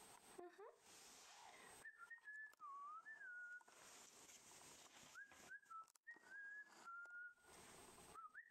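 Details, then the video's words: Rough Collie puppy, Dog 02 from Tiana's litter, giving thin, high whines: short level and gently rising tones, several in a row with pauses. Quiet, with faint room noise and brief broadband rustles between them. "COLLIE rough puppy dog 02"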